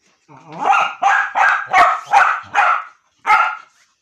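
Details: Annoying his mother, Jack the dog barks in a rapid run of six loud, harsh barks about three a second, a short gap, then one final bark.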